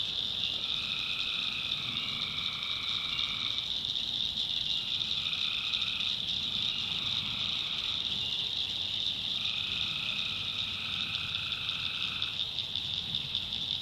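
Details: Tree frogs calling at night in the swamp backwoods of North Carolina: a lower two-toned trill lasting about three seconds returns three times over a steady, shrill high-pitched chorus drone.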